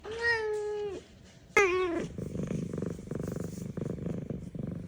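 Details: A happy female F2 Savannah cat gives two drawn-out meows, then settles into a steady, rumbling purr of contentment.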